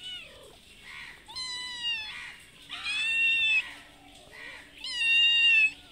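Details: A mother cat with a kitten begs for food at a house she visits twice a day, giving three long, strong meows that are steady and slightly rising, with faint softer mews between them.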